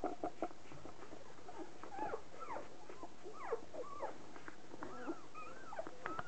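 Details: Two-day-old poodle puppies squeak and whimper in quick, short, rising and falling chirps. Several voices overlap in a busy, continuous chorus of thin, high cries.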